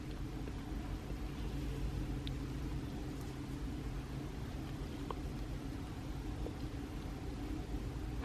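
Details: Steady low engine rumble, like a vehicle idling, fills the room with faint scattered clicks and no animal voice.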